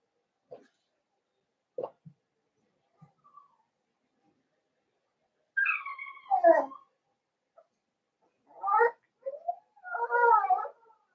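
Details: Young Blenheim Cavalier King Charles Spaniel puppies from a five-pup New Year's litter whine indoors in their pen. Soft taps come first, then wavering, falling whines and a longer, warbling cry near the end.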